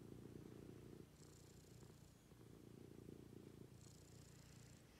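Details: Pet cat purring during its morning routine with its owner, low continuous rumble pulsing in two long breath cycles, softer mid-clip, with faint background hiss.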